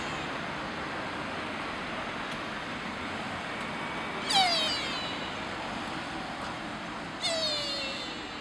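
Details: Sika deer calling in Nara Park, Japan: two sharp, high squealing calls, each sliding down in pitch, about three seconds apart, over a constant outdoor hiss.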